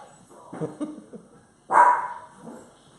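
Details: A 10-pound male Yorkshire Terrier barks while roughhousing with a pit bull at home: one loud, sharp bark near the end, after soft murmuring and scuffling sounds.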